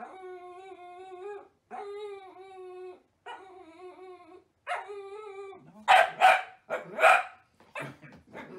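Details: Dachshund, or wiener dog: four long, steady, tonal howl-like notes, each about a second and a half long with short gaps, then a burst of three loud, harsh barks in quick succession.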